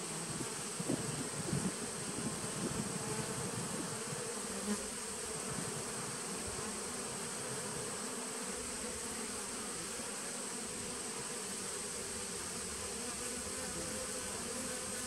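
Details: Honey bees humming inside a nuc colony begun in 2017, taped 19 September 2018; a few bumps and knocks early on, then an unbroken low, buzzy drone with overtones and a faint high whine.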